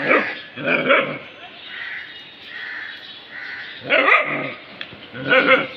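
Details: Family dogs investigating a discovery, producing paired harsh barks at the start, a softer whining middle section, then two more loud, rough barks near the end.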